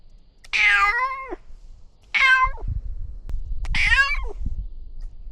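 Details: Domestic cat in a newly renovated catio; three clear, drawn-out harmonic meows about every one and a half seconds, each sliding down at the end, with low thumps and handling noise between them.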